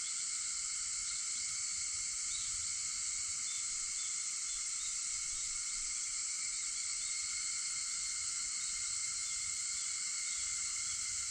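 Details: A continuous, even wall of shrill cicada buzzing fills an early August morning at 4:50, steady and unchanging across the whole stretch, with no other clear sounds.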